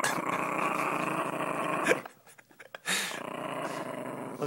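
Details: Domestic dog growling possessively over money held by a person indoors, a rough continuous rumbling growl in two long bursts separated by a brief pause.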